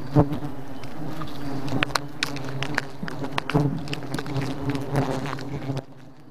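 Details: Thousands of bees on the attack, a thick low humming buzz with rich overtones and scattered sharp clicks, fading quieter in the final second.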